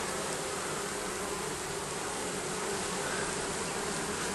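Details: Continuous swarm drone from bees living beneath a roof, a thick, even buzz with no breaks or other clear sounds.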